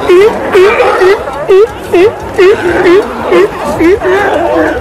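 A sea lion barks in a steady series, short honking notes repeated about twice a second.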